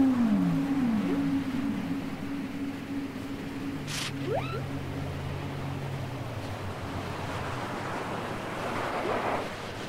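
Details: Whale song from a cassette tape. It opens with a descending moan, then holds a long, low, steady drone. Short upward whistling sweeps and a brief bright chirp break in midway, all over a constant watery hiss.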